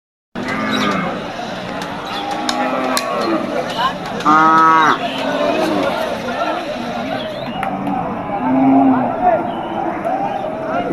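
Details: Native cattle at the Amtali cattle market in Manikganj, Bangladesh, shortly before Eid al-Adha: a short, nasal moo rises above a steady din of crowd and market noise, with fainter lowing earlier.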